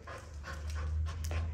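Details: Bernedoodle dog during a training session, panting in quick breathy puffs, several soft bursts in under two seconds, over a steady low hum.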